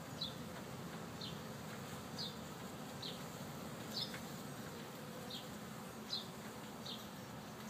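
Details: Honey bees hard at work at a hive installed just this week: a steady, low droning hum with short, high ticks recurring about once a second.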